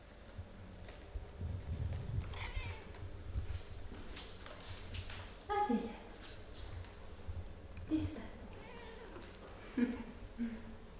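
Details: Mother cat playing and talking with her four kittens, which also gnaw on slippers. Faint short high meows come near the middle, later and at the end, over a low rumbling background with soft rustling.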